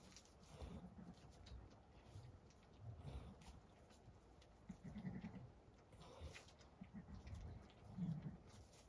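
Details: Zwartbles ewe Damaris with her newborn twin lambs, born in the dead of night on a County Kilkenny farm in Ireland; a series of soft, deep rumbling bleats recurring roughly every one to two seconds, with quiet shed noise.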